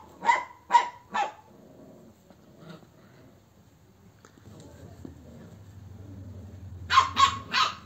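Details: Bakarwal dog barks three times in quick succession, then a long quiet stretch with low rumbling background hum before another burst of three sharper barks.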